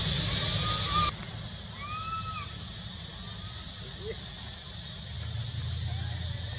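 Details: In spring at Angkor Wat and Bayon temple, Cambodia, a young monkey whistles for milk, giving a few soft arched tonal whistles after a loud burst of hiss, with a low background rumble.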